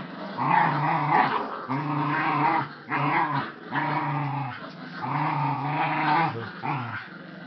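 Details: Playful dog growls while tugging at a rope, steady throaty rumbles lasting one to two seconds each, repeated with brief pauses, fairly even in pitch throughout.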